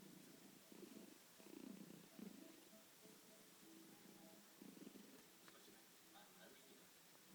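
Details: Domestic cat snoring indoors: low, raspy rumbling breaths come in bursts of about a second, several close together early on and another near the fifth second, over a quiet, hissy room background.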